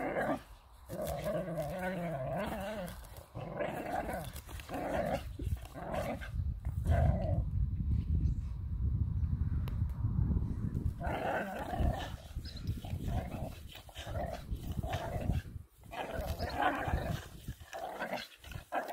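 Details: Playful whippet claiming a hay bale, growling and grumbling in a run of rough, warbling bursts over steady low rumbling background noise.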